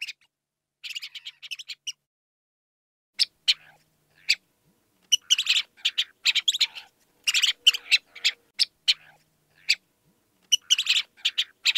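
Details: Rapid bouts of high, chattering squeaks from a house mouse (Mus musculus), irregular clusters of brief scratchy notes broken by pauses of a second or two, otherwise quiet.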